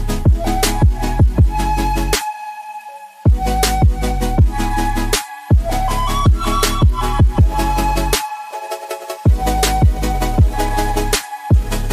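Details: Loud electronic music with heavy bass beats and brief drop-outs; no animal is heard.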